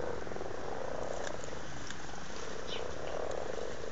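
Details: Amorous frogs in a Blarney, County Cork pond, Ireland, February 2012; dense rapid low purring croaks merging into a continuous rattling chorus, with a few faint higher chirps above.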